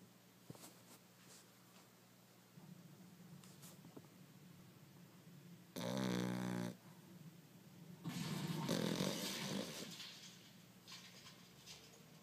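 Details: Dog snoring: after a stretch of quiet room hiss, one short harmonic snore around the sixth second, then a longer, rougher, rasping snore about two seconds later.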